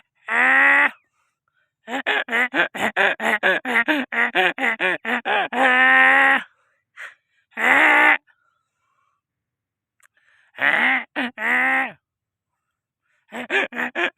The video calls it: funny donkey sound/very funny voice donkey /donkey raja